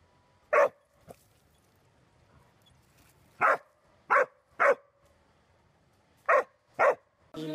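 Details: Corgi giving short, sharp barks, seven in uneven groups of one to three, with silent gaps of up to two seconds between them; a brief clatter closes the stretch.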